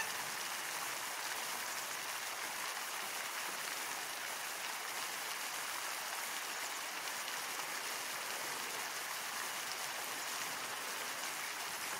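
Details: Steady broadband hiss of rushing water or rain throughout, with no animal calls standing out.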